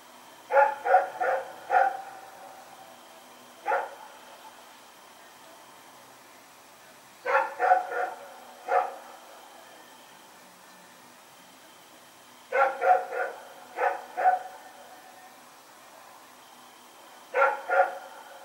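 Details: Rex, a dog running around at night, recorded September 21, 2018: clustered barks in bursts of two to five, groups separated by pauses of a few seconds, against a faint steady hum.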